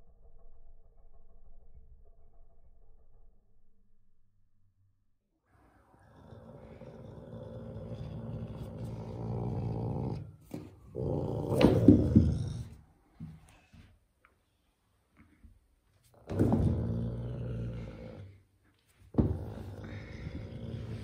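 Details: Alaska the caracal, grumpy while playing with a carpet, makes harsh, noisy growling bursts, several seconds long and broken by silent gaps, with sharper hissing peaks among them.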